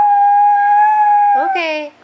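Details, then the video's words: Bailey, a male Chihuahua who lived to 16, sings a long, steady, pure high note held for over a second, then breaks into a brief rising yelp-like wail that trails off; a person urges him on, saying one more time. "Bailey the Singing Chihuahua"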